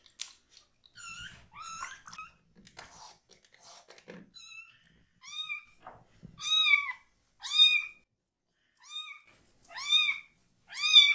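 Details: Baby foster kitten, one of three brothers, calling loudly while its bottom is shampooed; brief soft sounds at first, then a run of clear arched meows growing louder, roughly every second, with faint low thumps.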